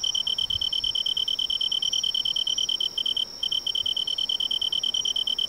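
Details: Tree cricket singing in autumn in woodland along a riverside: a continuous, high, rapidly pulsed ringing trill, steady in pitch and loudness, with a brief break around the middle, over faint low background rustle.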